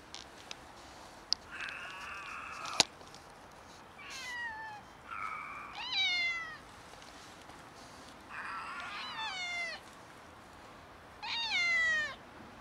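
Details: Stray cats in poor health, one of them sick, meowing: several strained, harmonic meows, some flat and nasal, others sliding downward from high pitch, spaced every one to two seconds with quiet gaps and a few sharp clicks.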